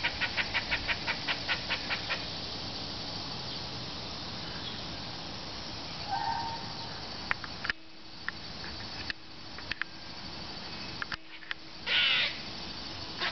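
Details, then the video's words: Squirrel calling: a fast run of sharp, harsh chips, about five per second for the first two seconds, then quieter stretches with scattered clicks, a short mid-pitched note and a brief noisy burst near the end. "Squirrel sounds"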